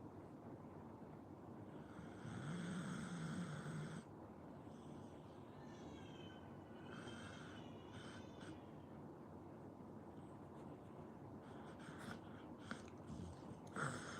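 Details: Sleeping Pit Bull snoring: a low rasping breath swells for about two seconds, then steady softer rhythmic snores continue over a constant background hiss, with a few faint higher tonal sounds in between.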